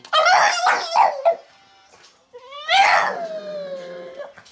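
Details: A Boston Terrier "sings" along to a song, howling in wavering, harmonic-rich tones: a choppy burst followed by one long sliding note.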